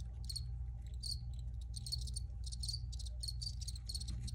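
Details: Chirping crickets in an original recording, rapid clustered pulses that come in uneven bursts, some running together into longer trills, set against a strong low-frequency hum.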